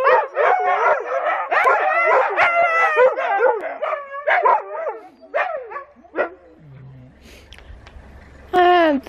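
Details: Loud watch dogs yip and howl together in a dense chorus for about six seconds, then fade into a quieter stretch with a low hum before one more howl bursts in at the end.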